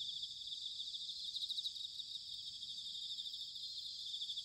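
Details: Bell crickets in autumn at Sanuki, Chiba, Japan, a continuous high trilling chorus pulsing softly over a low background hiss of wind or distant noise.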